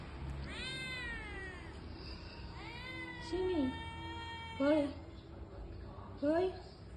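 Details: Lost village kitten outdoors in the heat calling for its mother: two long plaintive meows that rise then sag, followed by a person's voice speaking sympathetically in short bursts over a low hum.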